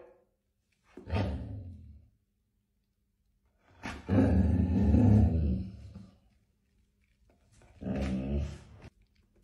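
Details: A golden Labrador Retriever gives deep, growly barks in three drawn-out bursts with pauses between, barking at its owner's bath bubbles.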